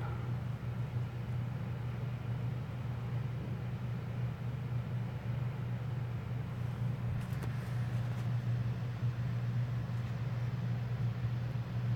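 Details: Low, steady hum like nearby traffic or a motor outdoors, with no animal voice heard.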